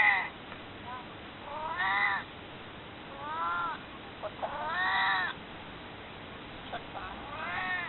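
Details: Elderly cat Maru, almost 22, begging to be picked up and held, gives a run of about six arched, plaintive meows in quick succession, some rising sharply, over a faint steady hiss.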